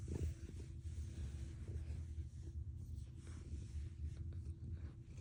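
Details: Domestic cat purring so strongly it resembles an engine: a deep, continuous rumble of fast, evenly repeating low pulses throughout, with a soft hiss in the background and a brief rustle at the start.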